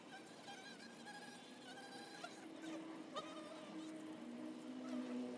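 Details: Honey bee hive entrance: several bees humming at once, their drones overlapping and shifting in pitch, with a brief click midway and the buzzing growing louder at the close.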